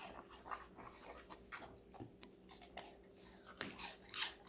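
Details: Connie, a five-month-old female Golden Retriever born 8 November 2019, crunches through assorted vegetables indoors; sharp broadband crunches and bites arrive irregularly, several per second, with a steady low hum beneath.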